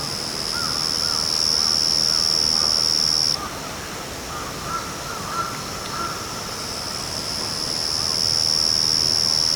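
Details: Yachisuzu cricket singing unseen in backyard grass: a steady, very high continuous trill that cuts off about a third of the way through, pauses for several seconds, then resumes unbroken to the end, with faint soft sounds in between.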